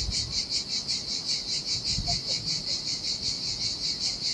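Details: Sardinian seaside cicadas in the heat, a deserted sandy beach: a bright, high buzzing song swelling and fading in even pulses about 2.5 per second, with gentle waves splashing low in the background.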